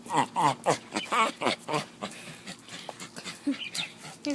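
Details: Lithsy, a pet dog, gives a run of loud, wavering, warbled whining yowls in quick bursts over the first two seconds, then quieter broken whimpers with a person's voice nearby.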